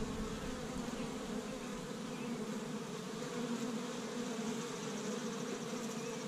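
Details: Honey bees at an established hive in Michigan on the first warm day of spring, busy gathering pollen from tree buds; a steady, dense drone of many wings hums continuously without pause.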